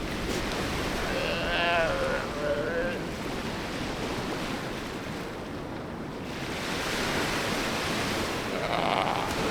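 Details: Galápagos sea lion pups on a white sand beach on Santa Fé Island, Galápagos, giving short harmonic bleating calls that waver in pitch around two seconds in, over steady surf and wind.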